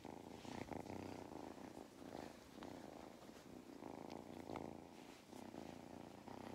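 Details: Purring of Mustard, a cat on a regenerative farm in County Kilkenny, Ireland, during belly rubs; a low, pulsing motor-like rumble in rhythmic waves, with faint handling noise.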